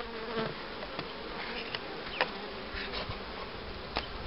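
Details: Honey bee buzz around an apiary in 2013 where colonies are set up for raising queens; a continuous drone carries faint steady tones, while occasional light ticks and taps sound over it.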